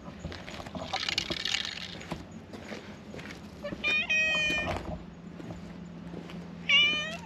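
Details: White cat following along behind someone, giving two clear, tonal meows: a longer, level cry near the middle and a shorter, brighter one at the end. Soft rustling and faint background hum in between.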